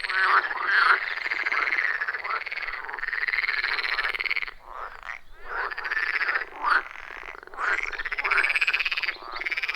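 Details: Loud chorus of wild frogs around a forest pond, recorded on an iPhone 14 Pro with a Shure MV88+: harsh, rasping croaks in dense overlapping bursts, with brief pauses between bouts.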